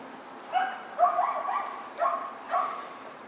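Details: White Miniature Schnauzer puppies, four sisters born September 10, letting out four clear, bright yelping barks about half a second apart, each short and slightly falling, in a quiet room.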